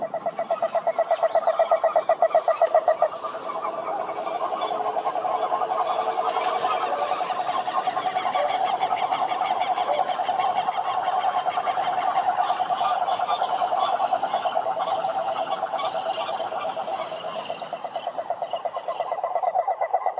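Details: Several toads croaking together in a dense, continuous pulsed chorus. Overlapping rattling trills hold a steady level for the whole stretch.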